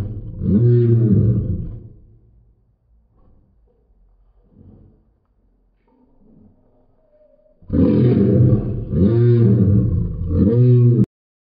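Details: Great Pyrenees dog making a dinosaur-like roar: a deep, rumbling, throaty growl for about two seconds, near silence with faint grunts, then three loud, rasping roars in quick succession, indoors.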